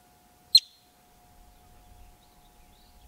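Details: A male yellow-bellied marmot, filmed up close on rocky hillside habitat just outside Yellowstone park, gives one sharp, high-pitched chirp, its alarm call.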